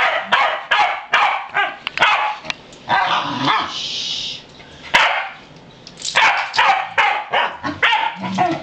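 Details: Farm Pembroke Welsh Corgis, three males, going outside; bursts of sharp barks separated by a noisy hiss-like stretch and a quieter lull, then barking resumes at a quick, irregular pace.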